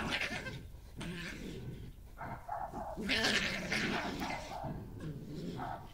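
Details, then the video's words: Wild European-setting badgers in a territorial encounter: a dominant resident female confronts an intruder on her patch, scraping the ground before a scuffle, most growling from the newcomer. Harsh, rapid chattering and snarling bursts, with scuffling noise throughout. "Resident badger attacks intruder badger - with sounds"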